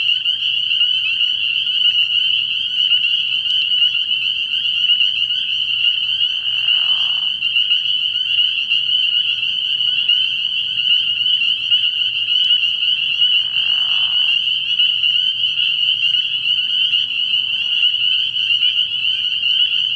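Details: Frog pond at night early in the year, dominated by a massed spring peeper chorus of piercing high peeps forming a steady shimmering band. Two lower, buzzy bursts about seven seconds apart rise briefly beneath it, with a low hum throughout.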